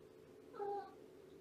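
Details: Shelby, a young female shelter cat of about two years in foster care with Purrfect Pals, on a morning visit; one short, quiet tonal meow of under a second, steady in pitch, over a low background hum.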